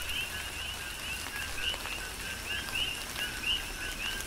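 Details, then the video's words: Coqui frogs heard through a tropical rain shower on the Big Island, Hawaii; sparse rising chirps, some faint, recur over heavy rain patter and dripping water. "Tropical Rain & Coqui"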